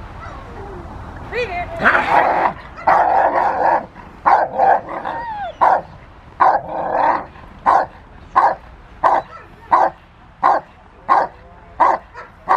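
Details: Rottweiler Willie v Schwarzerwald having fun in the rain with a helper at the Victoria Rottweiler Club on December 13, 2020: loud, harsh barks in steady bursts, speeding into a regular run of short repeated barks.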